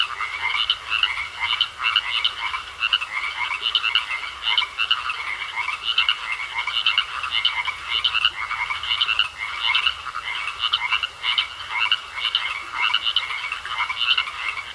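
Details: A pond full of croaking frogs keeps up an unbroken, throbbing chorus of rapid pulsed calls, rising and falling in rough half-second beats, a high even whine in the background.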